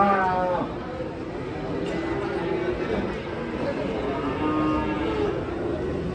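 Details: Cattle, some wearing masks, being unloaded from a truck and reported as agitated; a low moo with harmonic stacks in the first second, then more drawn-out lowing amid crowd chatter and men's voices.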